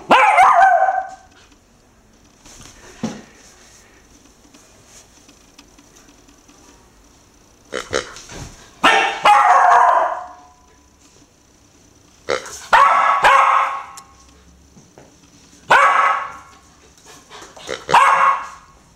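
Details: Young female Irish Terrier puppy, four months old, scared of a pink snorting rubber pig toy, gives spaced yelping barks, single and in pairs, with quiet gaps of several seconds between bursts indoors.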